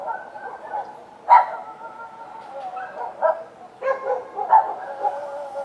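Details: Street dogs at night: several sharp barks scattered over a few seconds, rising from a soft background of long, steady, drawn-out tones.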